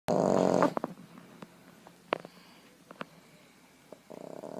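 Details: A Boston terrier napping on its owner's lap snores with a rough, rasping breath, then a few faint snuffles before the next one.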